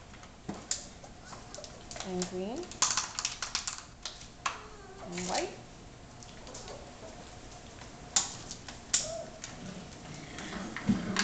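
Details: Six-week-old puppies from Biscotti and Leo's litter, several pups indoors. Two short, whiny yelps rise in pitch at about two and five seconds. Scratchy clatter from paws on papers and a person talking run through the clip.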